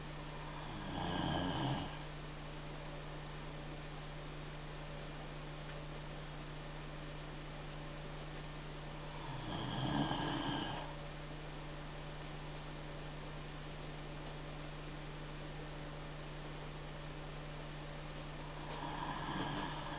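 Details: Sherman, a Great Dane, snores in deep relaxation indoors, each slow rumbling breath swelling about every nine seconds with a low buzzy drone, under a steady background hum.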